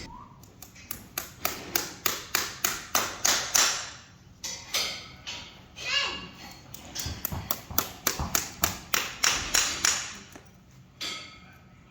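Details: Rhythmic metal hammering in quick runs during horseshoeing, with people talking and a child's voice nearby.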